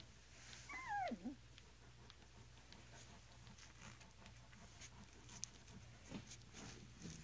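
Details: English Mastiff pups, eleven days old, AKC-registered and from a champion line, starting to walk indoors; one high, wavering whine slides steeply downward near the first second, followed by soft shuffling and small clicks in a quiet room.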